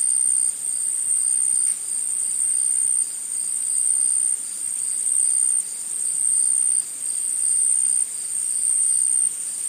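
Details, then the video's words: A chorus of insects in the forest keeps up an unbroken shrill, very high whine, loudness shifting in long plateaus every couple of seconds; nothing else stands out. "Insects In The Forest Sound Effect"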